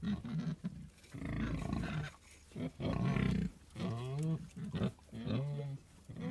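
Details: A pig gives repeated low grunts, then wavering, rising and falling squeal-like calls in short bursts. Gaps of near-quiet fall between them.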